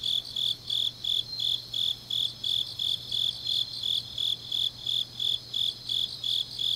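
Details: Autumn night chorus of grass insects recorded in Changnyeong, Korea, with sharp high-pitched chirps pulsing regularly, roughly three each second, over a continuous shimmering insect background and a low electrical-like hum.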